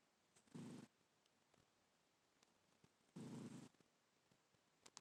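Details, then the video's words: Sleeping black pet cat snoring indoors: two brief, coarse, buzzing breaths about two and a half seconds apart, the room otherwise quiet apart from faint ticks. "Snoring Black Cat"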